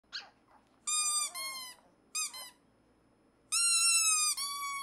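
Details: A shy black male Pomeranian puppy, excited by a green squeaker toy, gives squeaky, high-pitched howls, each held steady then sagging slightly, in three bursts, the last the longest, in a quiet indoor room.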